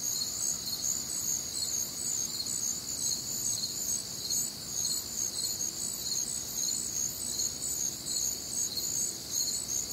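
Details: Humid Midwestern summer night, crickets and other nocturnal insects in full chorus; piercing high trills stacked in bands, with quick regular chirp pulses throughout and no other sounds standing out.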